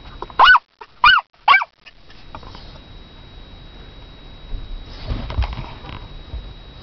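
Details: Toy poodle, female, barking for her owner with three sharp high yaps about half a second apart, followed by quiet room noise and faint rustling.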